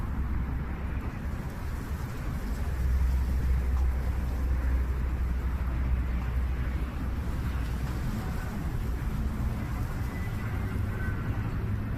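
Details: A steady low engine-like rumble mixed with wind noise fills the recording, and no animal calls stand out.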